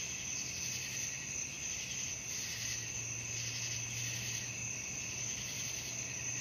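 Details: Crickets at night, a dense continuous high trilling chorus with pulsing bursts roughly every second over a steady shrill band, plus a faint low hum underneath.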